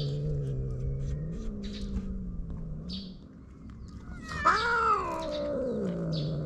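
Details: Stray cats on a cat island at snack time, a ginger boss cat grabbing the other strays' treats; one drawn-out meow rises and then falls, over a low steady hum, with small birds chirping in the background.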